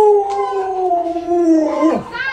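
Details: Luoluo, a pet Alaskan Malamute doted on by grandma, sustains a smooth howl that sinks slowly, then slides down steeply before a brief higher yelp.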